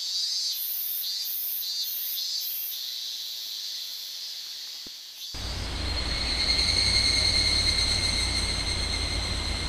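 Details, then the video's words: Higurashi cicadas in Minamisoma, Fukushima, in August 2011, near the restricted-zone boundary: very high rhythmic pulses throb at first, then the scene cuts to steady, ringing high tones over a low rumbling noise. "蝉しぐれ （ひぐらし）"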